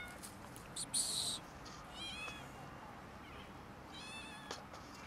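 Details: Quarrelling over food, cats and a kitten give a loud breathy hiss, then two separate short whining meows a couple of seconds apart, with faint clicks and rustling between them.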